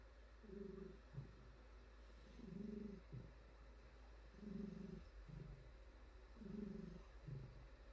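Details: Petted female house cat purring contentedly, a deep rattling rumble that swells and fades with each breath, about four even cycles spaced two seconds apart, with quiet stroking sounds underneath.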